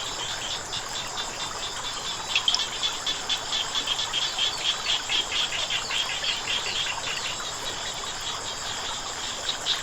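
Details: Rapid clicking croaks of frogs by flowing water, fainter and less steady, short pulsed bursts rising mid-clip over a constant rushing-water background.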